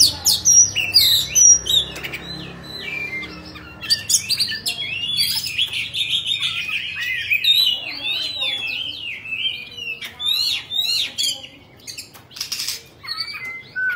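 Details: Kept Oriental magpie-robin, Bạch Bạng type, singing while dancing with its tail fanned: a long, varied run of whistles, chatters and zigzag slurred notes, punctuated by sharp harsh bursts throughout.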